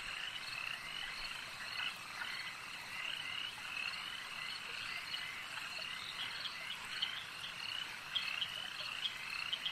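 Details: Frogs croaking at a lake: a dense, continuous chorus of many overlapping high-pitched trilling croaks, steady throughout with small bursts of louder calls near the end.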